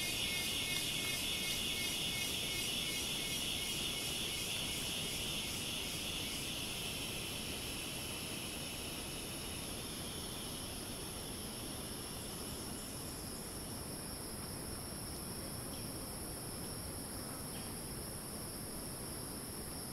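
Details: Cicada in the rainforest of Ton Pariwat wildlife sanctuary, north of Phang-Nga, Thailand: a loud, high, pulsing screech, with rapid regular pulses about 160 a minute, fading over roughly twelve seconds into a steady high hum over a constant rushing forest background.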